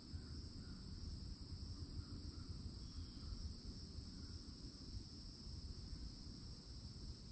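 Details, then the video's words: At a Florida woodland edge in summertime, cicadas keep up a flat, sustained shrill drone. A deep rumble lies beneath it, and soft short chirps come near the start. "*CICADA SOUNDS*"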